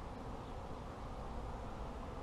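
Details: Many honey bees humming in a beginner beekeeper's apiary, a continuous low buzzing drone that stays even and unbroken, with no birds, voices or other clear noises.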